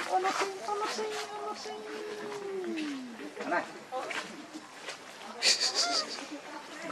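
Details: Baby monkey Leo Rainbow, hungry and angry, crying to beg its mother for milk: a long drawn-out tonal wail that slides slowly downward over about three seconds after shorter whimpers, with insect hiss and faint background chatter.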